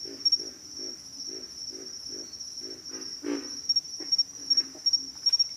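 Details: Pig frog grunting in a steady series of low, throaty pulses about every third of a second, fading toward the end, over a constant high-pitched insect drone and a few sharp clicks.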